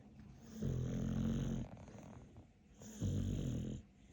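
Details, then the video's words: Capler, a dog, asleep and snoring: two long, low rasping snores about a second each, separated by quieter in-breaths. "Каплер король храпа. Capler is the king of snoring."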